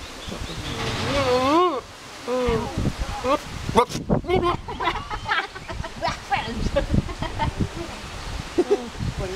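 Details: Male pygmy goat at Ouchiyama Zoo going wild as a particular person stands nearby, giving a loud wobbling, vibrato bleat near the start, then shorter rough calls amid people talking and background clatter.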